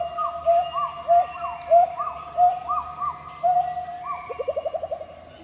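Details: Pileated gibbon (Hylobates pileatus) song in Khao Yai National Park, Thailand: clear hooting notes rising and falling, ending in a quick climbing bubbling trill.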